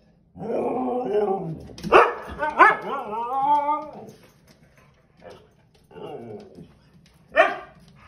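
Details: Two Siberian Huskies scolding a passing dog: a long, harmonic, moaning yowl, then sharp yips and a bending, talkative howl, followed by softer grumbling mutters and a final short bark.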